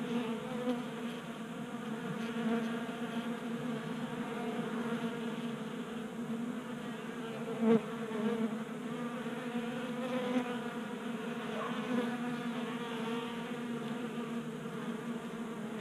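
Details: A crowd of honey bees drinking from a tabletop bee feeder in a garage, Colorado, January; an even, layered humming drone throughout, with a single sharp click midway.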